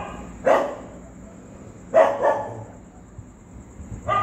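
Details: Street dogs reacting to a ghost sound, giving loud single barks spaced well apart, about one every one and a half seconds, including a doubled bark, against a faint steady high whine.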